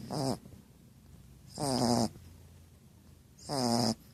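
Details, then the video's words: Female Shar Pei snoring: three loud, rasping, vibrating breaths about every two seconds, each rough and buzzy, with quiet pauses between. "SHAR PEI PUCCA RONCANDO"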